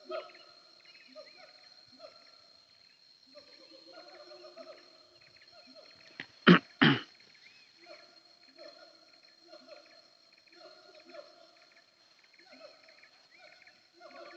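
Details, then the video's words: Siamang heard on the hills of Bukit Kalowan en route from Aie Amo to Sumpur Kudus: series of sliding, harmonic hoots in quick runs, briefly interrupted by two sharp loud bursts near the listener, with a continuous insect whine. "Suara Siamang Tagogau"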